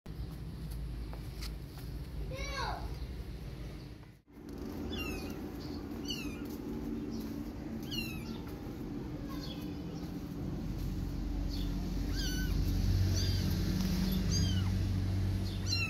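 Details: Mother cat with her one-month-old kittens outdoors, protective and scared, carrying them in her mouth and calling them to follow her inside; short high meows repeat every second or so, rising and falling, over voices and a low steady hum.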